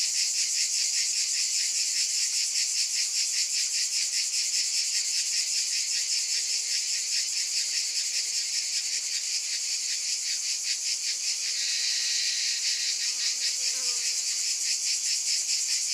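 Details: Cicadas keep up a loud, high, pulsing buzz throughout. The throb softens briefly near the end, where faint lower sounds show underneath.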